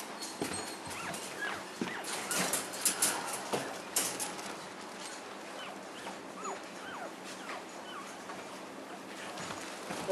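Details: Week-old English Cocker Spaniel puppies, seven days after birth, giving many short, thin, high whines and squeaks in quick succession, some rising then falling, with rustling and soft handling noises around them.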